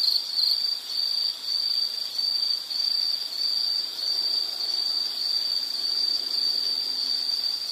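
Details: Insect sound meant for study or sleep background: high thin trill in irregular bursts about one to two a second, slightly quieter, over faint soft hiss.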